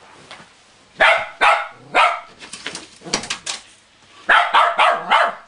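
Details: West Highland White Terrier playing with his cuddly toy whale, giving sharp barks at about one-second spacing, then a soft muffled run, then a quick burst of three or four barks near the end.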